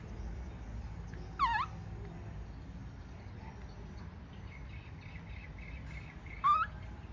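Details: Upset baby monkey as its mother walks away: two isolated sharp, wavering cries several seconds apart, set against a quiet background with a faint low rumble.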